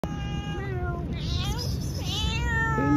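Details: Female domestic cat giving long, drawn-out meows with a bright, tonal quality, one after another, each bending slightly in pitch, over a low background hum.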